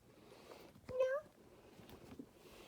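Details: Kitten meowing from a cat tree while demanding attention, two kittens present indoors: one brief, rising, tonal meow lasting under half a second, set among soft talking by a person in a small room.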